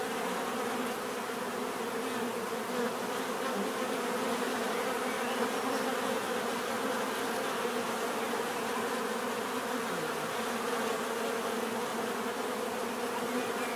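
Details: Bees humming in a constant swarm-like drone, their overlapping wingbeats forming a full, even buzz that neither swells nor fades across the long stretch.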